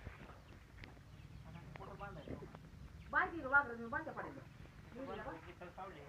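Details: Goat bleats with a tremulous, wobbling voice, a louder bleat midway and a softer one near the end, over low background murmur.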